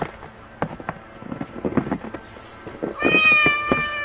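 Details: A hungry stray kitten gives one long, bright harmonic meow near the end after scattered knocks and shuffling noises.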